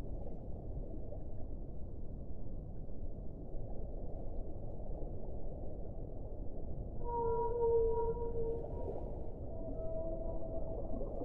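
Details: Whale song: after a long stretch of muffled low rumble, a brief tonal moan with stacked overtones rises near the end, followed by a fainter, higher held tone.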